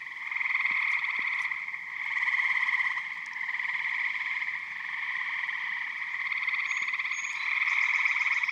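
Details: Many eastern gray tree frogs calling together from a vernal pond in Michigan in spring or summer, their rapid pulsed trills blending into an unbroken buzzing chorus with faint occasional clicks.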